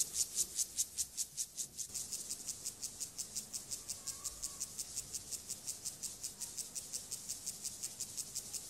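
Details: Male Siberian grasshopper, Gomphocerus sibiricus, courting a female with its courtship song before mating: a dry, rasping series of high, hissy pulses repeated about two and a half times per second, steady through the recording.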